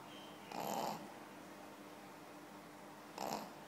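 A Pekingese snores in two short, raspy breaths spaced a few seconds apart.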